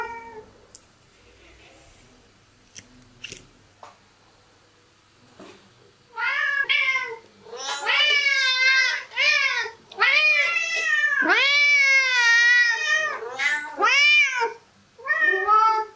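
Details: Several meows from cats at a breakfast table, rapid overlapping harmonic calls bending up and down, some drawn out and wavering, starting after six seconds of near silence with faint clicks, indoors.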